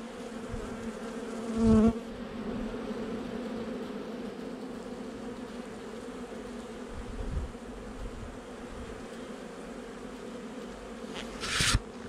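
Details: Colony of honey bees in a month-old nucleus hive, heard during an 8 July 2020 inspection; continuous droning hum with a close bee passing near the start and a brief hiss or handling noise near the end.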